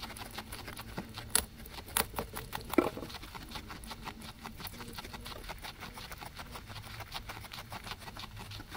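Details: Grass-eating by two guinea pigs, captured on a ZYLIA ZM-1 ambisonic array and converted to binaural; rapid, even chewing clicks repeat several times a second, with a few louder crunches early on over a quiet room hum.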